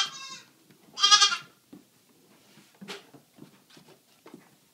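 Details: Rescued three-day-old goat kids playing and feeding at a home, two brief, bright bleats near the start, followed by soft clattering, shuffling and light knocking sounds.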